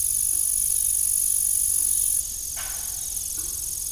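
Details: Crickets in the evening at a disused farm windmill give a constant high, shrill trill that drops a little in loudness midway, followed by a single short creak.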